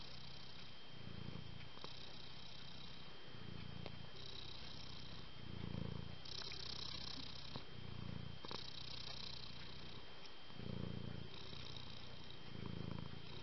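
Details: Soft, fluffy cat purring in a slow rhythm, low rumbling pulses about every two seconds matching each breath, with a constant high-pitched whine and occasional clicks behind.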